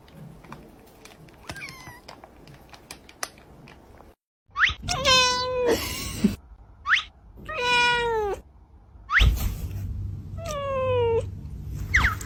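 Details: Young cat uttering a series of meows, some short and some long and wavering, in irregular bursts after a brief cut, against soft clicks and background room noise.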